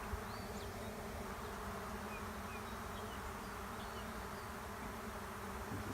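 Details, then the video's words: Honey bees of a swarm entering an empty hive in a driveway; a continuous, full-bodied buzzing hum with faint thin chirps of a small bird high above the drone. "Honey bee swarm moves into an empty hive in my driveway"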